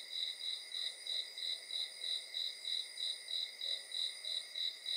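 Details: Crickets singing at night, short shrill pulses following each other at an even pace of two to three a second, backed by an unbroken high insect drone.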